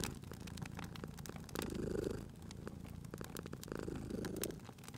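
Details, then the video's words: Purring cat asleep near a crackling fire in spring ambience; a low rumbling purr pulses with breathing, growing louder in two swells about two seconds apart, accompanied by sharp crackles from the fireplace. "Cute Purring Cat at a Crackling Fireplace"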